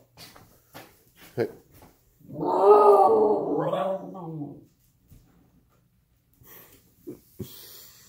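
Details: Husky talking in a small room: one rising and falling whining howl of about two seconds, surrounded by soft clicks and thuds and a little human speech.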